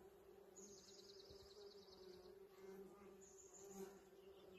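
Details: Western honey bees buzz in a steady low drone around a blooming holly tree in a spring yard, overlaid by high chirping bird notes.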